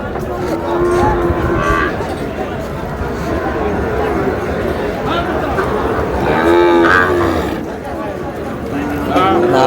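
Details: A pair of Sahiwal bull calves offered for sale in Bangladesh gives a few short, flat low moos spaced several seconds apart, half-buried under loud crowd noise and nearby talking.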